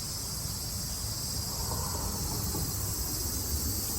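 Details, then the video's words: Japanese summer cicadas in 2022 keep up a continuous high-pitched buzzing hum without pauses, layered over dull low-frequency background rumble. "Sounds of the cicada [ Japan in summer ] セミの声"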